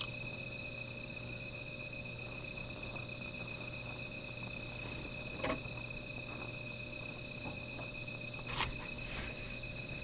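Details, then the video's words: Night-time insect calling near a small fire: a continuous high ringing chorus throughout, broken by a couple of sharp crackling snaps, with a steady low hum underneath. "Sound of Insects"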